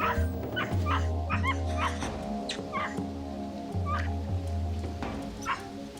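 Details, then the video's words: Capuchin monkeys gathered in a gang after an alarm call, agitating and calling loudly to intimidate a snake, which retreats. Rapid, repeated squeaky chirps from several animals, tumbling over one another, with music underneath. "They form a gang, agitating and calling loudly to intimidate their enemy. The"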